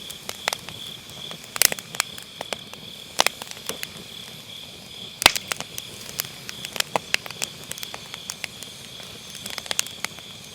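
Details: Autumn-night grass insects keep up an unbroken high-pitched trill beside a crackling wood fire, caught on an MKE600 microphone with low cut; loud snaps of burning firewood break in every second or so.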